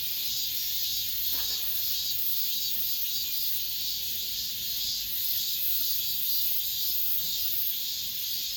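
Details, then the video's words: Cicadas singing in an apartment complex at the end of summer: a dense, continuous high-pitched buzzing drone that holds steady throughout with gentle rhythmic pulsing, and no other clear sounds. "올 여름 마지막 매미소리, 아파트 단지 내"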